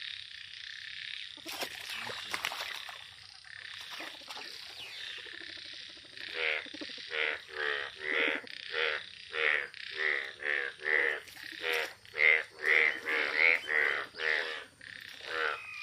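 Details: Yellow frog calls build from a quiet start with a few scattered noises into a steady series of harsh, buzzy croaks, roughly two per second, over a constant high-pitched insect-like hiss.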